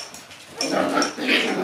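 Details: Black Shiba Inu puppies, a litter of four born 15 October, on their second day out in a room, give a brief breathy, noisy grumbling growl that swells after a quiet start, indoors.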